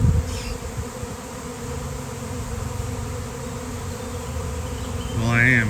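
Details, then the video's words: Thousands of honeybees in a sudden swarm, heard from the middle of the cloud of insects; dense, even low hum throughout, ending with a louder rising whine as one bee flies past. "Giant Bee Swarm came out of nowhere!"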